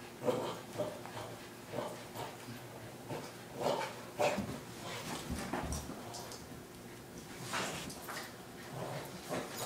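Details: Maximus, a six-year-old Boston Terrier from Sun Prairie, Wisconsin, playing tug-of-war and refusing to let go, gives short whimpering, growly bursts scattered irregularly through a quiet indoor room.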